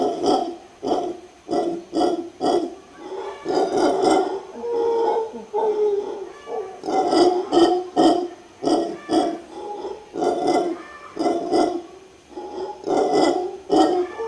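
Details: Howler monkey in Guanacaste, Costa Rica, giving deep, guttural roaring howls in rhythmic bursts of about two per second, each a rough grunting pulse, with a few longer drawn-out roars near the middle.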